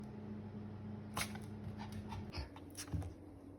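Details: Pomeranian named Ponta sneezing: a few short, sharp, breathy bursts spaced under a second apart in the middle stretch, over a steady low electrical hum.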